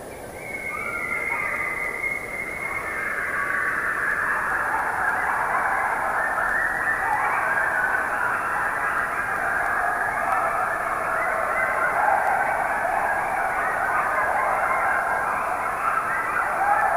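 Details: A pack of coyotes in a forest howls in chorus, many wavering voices rising and falling together.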